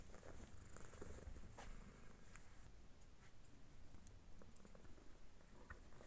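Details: A cat purring: a continuous low, rough rumble with faint rustling and soft clicks over a hissy background.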